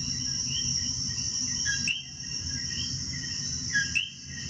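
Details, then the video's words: Coqui chorus from Puerto Rico, clear upslurred whistles repeated by several frogs amid a continuous high-pitched insect hum and soft low noise, one brief drop in volume near the middle. "EL CANTO DEL COQUI"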